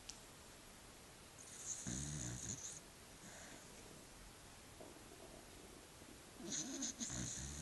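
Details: Sleeping dog snoring: two breathy, rasping bursts, one near two seconds and another near seven seconds, each lasting about a second, separated by quiet breathing.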